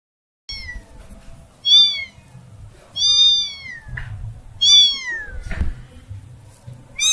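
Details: Kitten that has lost her family meowing loudly, high wavering cries falling at the end, four calls spaced about a second apart over a faint low background.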